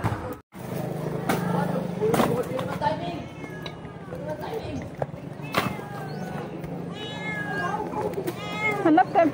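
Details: Stray cats at a demolished home, giving a series of drawn-out, wavering meows with rich harmonics, several in quick succession toward the end, over a steady low hum, clicks and background voices.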